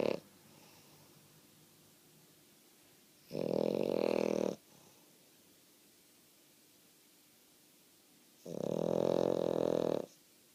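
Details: A female French Bulldog snoring indoors while apparently awake: loud, rough, droning snores about a second long, two strong ones spaced roughly five seconds apart with a short one at the start and quiet breathing between.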